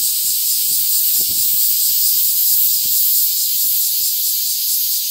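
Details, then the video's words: Summer cicada chorus in Tokyo, Japan, 3 August 2021, blending Black Giant, Large Brown, Mingming and Kempfer cicadas; an unbroken shrill wall of buzzing sits high, gently throbbing, with faint low rustles beneath. "Cicadas in Tokyo Japan (Town with many cicadas)"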